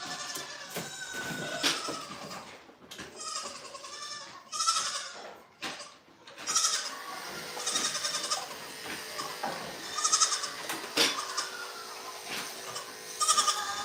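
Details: Goats at The Willful Goat Farm & Home bleat in a busy, overlapping chorus of nasal, quavering calls, some short and some drawn out, with thumps and clatter from the pen in between.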